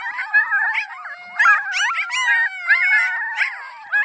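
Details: Several of Annie's puppies howl in chorus: thin, wavering tones sliding up and down, layered voices, with sharp yipping bursts interrupting about every second.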